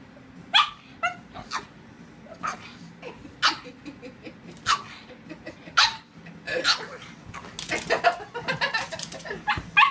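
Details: Pug letting out scattered sharp barks mixed with short whimpers at irregular intervals, the bursts growing busier and closer together toward the end, with faint talking underneath.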